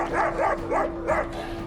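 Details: Protective mother dog in Cape Town, South Africa, guarding six puppies trapped beneath her kennel floor during an animal rescue; quick series of three to four yelping barks in under a second and a half, with a steady electrical hum.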